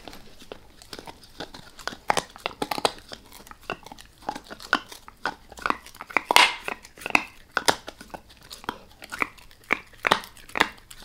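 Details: Max, a dog, eating a beef rib indoors in a small room, gently at first and then fully: sharp irregular crunches and wet gnawing clicks of bone and meat, dense bursts, loudest around the middle, no talking.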